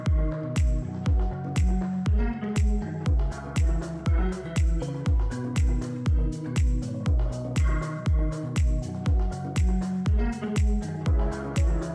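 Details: Electronic dance music with a regular thumping beat about twice per second and layered synth tones; no animal sounds heard.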